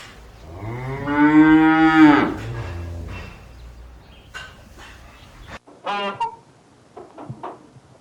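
A cow gives one long, deep, droning moo lasting about a second, followed by a few shorter, fainter calls.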